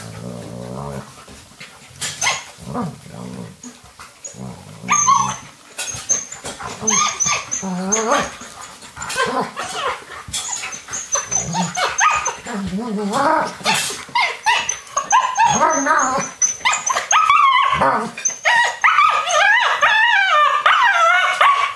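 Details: Alaskan Malamute puppies at play indoors while it rains, joined by young male Finn as mother Deneb raises them; low growls at first give way to a dense run of high, wavering whines and yelps, with thumps and scuffles.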